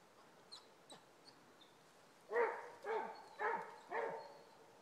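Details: Two Basset Hounds baying on a rabbit trail: four deep, ringing bawls in quick succession, each sliding downward.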